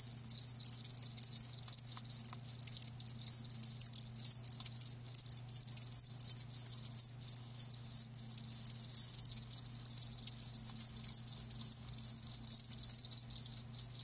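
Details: Live crickets keep up a dense, high, fast-pulsed chirping for the whole stretch, short bursts running together, a faint low hum in the background.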